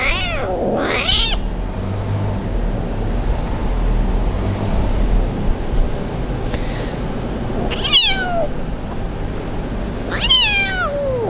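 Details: Abandoned kitten crying on a street, left by its owner, before being rescued: three high, wavering meows, the first bending down then up, the later two sliding downward, spread across eleven seconds over a steady low rumble of street background.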